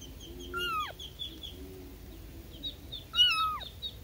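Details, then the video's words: Newborn kittens calling out to their mother with two high, thin mews that rise briefly then slide steeply downward, about three seconds apart, with faint chirpy sounds and low hum around them. "SUARA ANAK ANAK KUCING BARU LAHIR MEMANGIL INDUKNYA"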